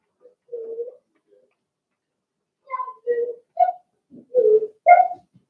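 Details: Young Cavalier King Charles Spaniel puppies, Blenheim coloured, in a home puppy pen during potty training: a string of brief nasal whimpers, first isolated, then four quick ones in close succession, some rising to a brighter pitch.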